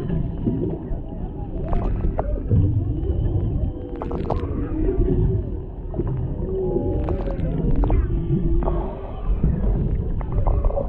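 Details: Underwater off Maui, Hawaii, humpback whales sing beside a boat while a mother and calf interact and a male stays in the background; gliding moans and rising squeals repeat against deep rumbling water, captured by a GoPro Hero 7 Black.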